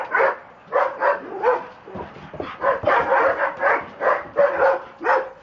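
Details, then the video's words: Rocco and Bridget, two Dobermanns, getting excited and wild, letting out a steady stream of short, punchy barks roughly twice a second, with a brief scuffle-like pause midway before the barking resumes. "Doberman's Getting Crazy"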